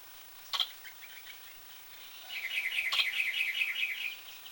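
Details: Squirrel hiccup sounds: one sharp click early, then a rapid, even series of high, squeaky chirps, about seven per second for nearly two seconds, over a soft hissing outdoor background.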